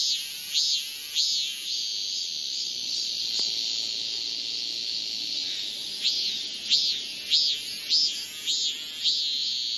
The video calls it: 암컷 매미를 부르는 수컷 매미의~맴맴맴(왜 엉덩이를~~ )